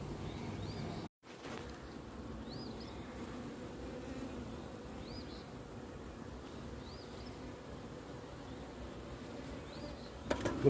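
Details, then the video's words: Low, even buzzing hum of many honey bees in a large hive opened for inspection, continuous for about ten seconds apart from a brief gap near the start, with faint high chirps in the background. "XL honey bee hive"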